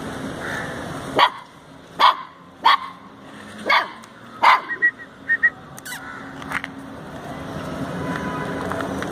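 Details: A wary puppy that does not yet trust the person gives a series of short, sharp yips, spaced about a second apart, then falls quiet over a steady background hum.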